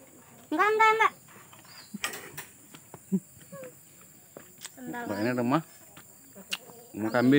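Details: Goat at a livestock pen by a grandmother's house in a village, set among gardens and forest where cattle and goats are kept: three loud, wavering harmonic bleats, one early, one midway, one at the end, with faint insect hum and soft voices between.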